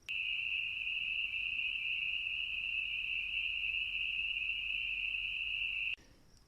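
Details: Spring peepers call in June, late in their singing season, on a listening walk. Their chorus blends into one steady, high, ringing trill that holds without a break for about six seconds and then stops abruptly.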